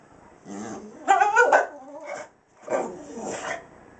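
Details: American Staffordshire Terrier indoors reacting to a cat seen outside, unsure what to do: drawn-out whining, yowling vocal sounds in three bursts over four seconds, with a person talking to it about the kitty.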